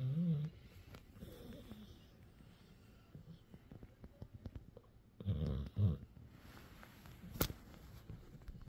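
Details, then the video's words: Sleeping pup named CopperTop, resting and giving his normal snoring: low rumbling snores in bursts, a short one at the start, fainter ones near 1.5 seconds, then a longer double snore around five seconds, and a sharp click near the end. "Funniest Dog Snoring Ever"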